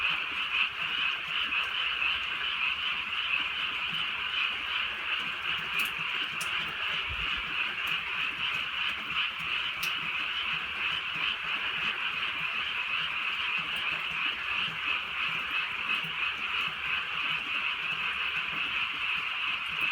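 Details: Frog chorus on a rainy rural night: steady, massed trilling croaks run unbroken for the whole stretch, joined by a few sharp ticks and a low thud amid quiet rain patter.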